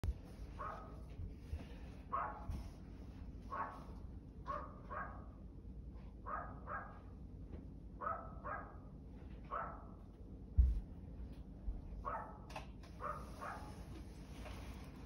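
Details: A dog barking in a steady run of short, mid-pitched barks, roughly two every second for the whole stretch, over a constant low rumble in the background.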